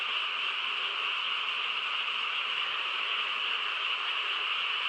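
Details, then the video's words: Frogs massed in a chorus on a calm country night, producing a seamless, buzzing wash of sound concentrated in high bright bands, unchanging in level, with no individual calls or other noises breaking through. "고요한 시골 밤에 개구리 합창 소리"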